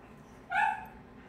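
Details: A Cane Corso gives a single short, sharp bark against a quiet background during a temperament test.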